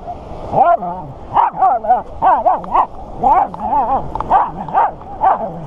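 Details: Woodhouse, a five-year-old Corgi/Jack Russell terrier mix, at Corgi Beach Day on Huntington Dog Beach, California, on 2015-10-24: a run of excited yelping barks with wavering, rising-and-falling pitch, about one each half second.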